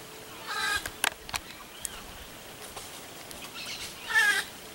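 A white-lipped peccary clacks its teeth in sharp, dry snaps, a threat given when cornered.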